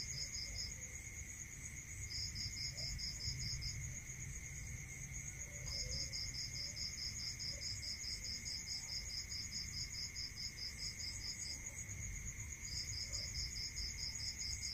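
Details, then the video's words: At night in rural surroundings crickets repeat long bursts of rapid, regular chirps separated by short gaps of one to two seconds, layered over an unbroken high insect drone, a steady lower tone and faint low rumble. "Listening to Cricket Sound Natural meditation music"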